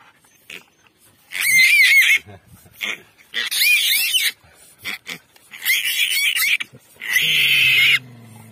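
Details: Wild boar piglet squealing: four loud, shrill, wavering squeals of about one second each, separated by short quiet gaps. The final squeal is steadier and flatter, followed by a faint low hum.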